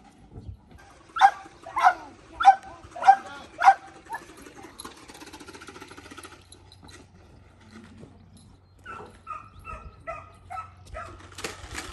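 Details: Belgian Malinois in decoy training, running through a car: five sharp barks about every 0.6 seconds, then a pause with rustling and knocking, followed by a rapid series of lighter, higher yelps or barks at the end.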